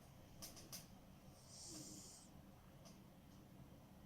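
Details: Smokey the cat asleep and snoring: a few quick sharp clicks open the moment, then one hoarse, breathy snore under a second long with a faint whistling undertone, then quiet low hum.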